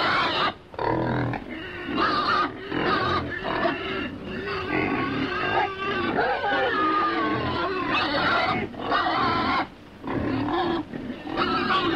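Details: Pigs grunting in their pen give a steady run of rough, throaty, nasal bursts, with only a few short pauses.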